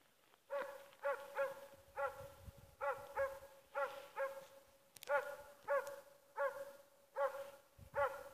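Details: Schampoo, the dog Ackers Åndorra, at play at midday, 15 November 2014, gives a steady run of about fourteen short, ringing barks, roughly two every second, with faint rustling underneath.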